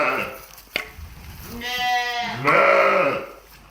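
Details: Twin lamb sisters, ear tags 3033 and 334, at Ishikari sheep farm in Hokkaido, Japan: two quavering, harmonic bleats, the second louder and more nasal, following a sharp click and quiet background.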